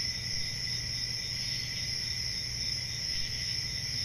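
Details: Continuous high trilling of crickets on a summer forest night, unchanging and even in volume, with a low muffled rumble in the background.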